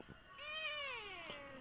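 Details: Indoors one evening, a talkative female Siamese cat answers her owner's words with a long, nasal, harmonic meow that swells, then slides downward and trails off, over a constant low hum.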